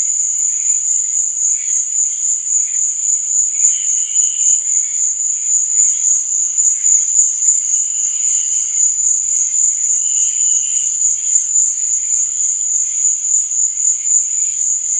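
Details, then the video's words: At night, crickets keep up a constant piercing high trill; short lower chirping phrases surface around every four to six seconds against the steady chorus. "Cricket Sound| Sleep and Relaxation Nature Sound| Stars &Moon| Cricket Noise| Night Sound"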